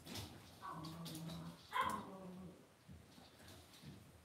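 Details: Cavalier King Charles Spaniel puppies raised indoors in a home puppy pen give soft, low whimpering grunts with a short louder whine near the middle, over faint rustling from the pen.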